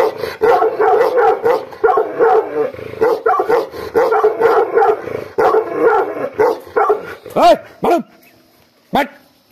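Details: Aggressive Gaddi dog, also known as Bhotiya, barking in fast harsh bursts that slow toward the end, ending with a few isolated sharp barks and a short yelp-like call.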